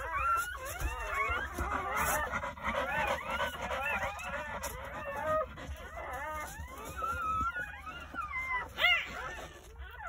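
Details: Newborn Jindo puppies, part of a litter of nine born on New Year's Day at a countryside home in a morning birth, crying in overlapping high whimpers and squeals, many rising and falling tones at once, with faint background noise.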